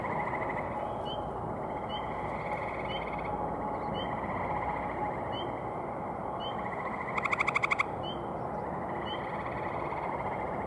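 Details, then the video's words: Male gray tree frogs calling at a pond on a May 2018 evening: a single sharp, rapidly pulsed trill of about half a second rises above a background chorus of softer, repeated frog calls. "Male Gray Tree Frogs Calling"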